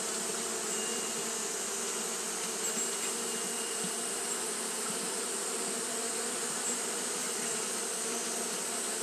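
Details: Continuous hum of Japanese honey bees fanning their wings on a hot day, an even droning buzz layered over a bright hissing wash, level and unchanging from start to finish.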